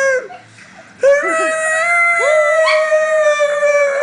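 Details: Domestic dogs at home howling together, described as singing while a cat watches; one voice rises abruptly after a quiet opening second, then steady sustained tonal howls with overlapping voices and short sliding inflections.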